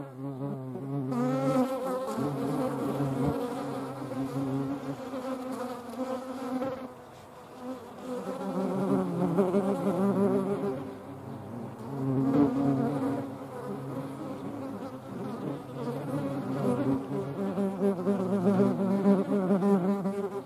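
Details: European hornets flying alongside median wasps: a dense, droning wing hum with several overlapping tones, a deep steady buzz at first, then shifting pitches as insects come and go, swelling and fading in loudness.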